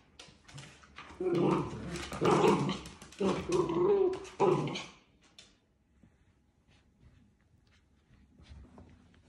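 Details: Several Dachshund puppies at play outdoors let out a few clipped yips, then harsh, rumbling growls in a run lasting about three seconds. After that only faint scuffling is left.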